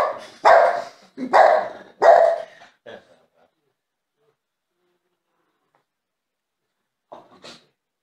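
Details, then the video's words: A jealous French Bulldog demanding attention gives three loud, harsh barks in quick succession, then softer short yaps, a long silence, and one brief yip near the end. "French bulldog needs attention"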